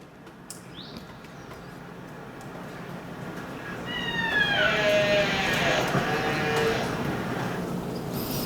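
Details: Killer whale (Orcinus orca), pulsed calls.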